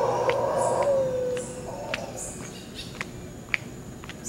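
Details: Howler monkeys at Quepos, Costa Rica: a rough roar ending in a falling moan within the first second and a half, a weaker echo after, then quiet forest with scattered clicks and a sharp tap.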